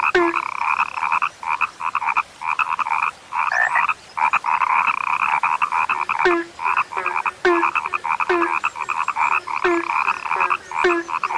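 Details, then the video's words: Chorus of rare frogs: long stretches of rasping, pulsed croaks, broken by short silences, with sharp click-like onsets and a brief low note after many calls. "SUARA KATAK YANG SUDAH LANGKA"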